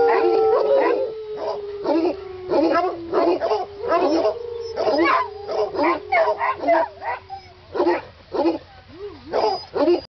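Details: Otterhounds singing together: a long, slowly falling howled tone held through most of the stretch, overlaid by many short wavering yelps and bays in quick succession, with a human voice just before.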